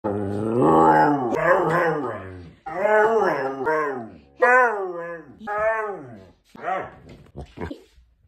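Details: Siberian Husky yelling at its owner, scolding after the owner scared off its pig friend; long drawn-out harmonic howls and wavering talking yowls in several bursts, the later ones shorter and breaking off, indoors.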